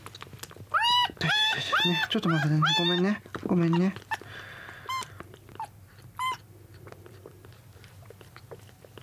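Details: Indoors on the second day after rescue from a road, kittens vie for milk: several loud, rising-and-falling meows cluster in the first four seconds, some lower and drawn out, followed by quieter chewing and handling sounds and a last short cry.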